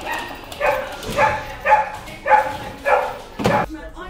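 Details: Pumpkin, a Rottweiler puppy filmed at home while growing up from birth to six months, gives six sharp, evenly spaced barks about half a second apart, then a short burst of noise.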